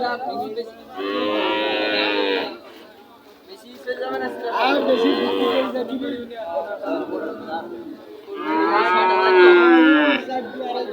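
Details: Young cattle lowing at Chuknagar market, Bangladesh: three long, loud, harmonic moos, each lasting one to two seconds, spaced by quieter gaps filled with market murmur.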